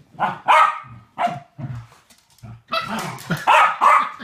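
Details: West Highland White Terriers at play, two dogs together; a couple of barks, then low grumbling growls and snorts, followed by a rapid cluster of excited yappy barks.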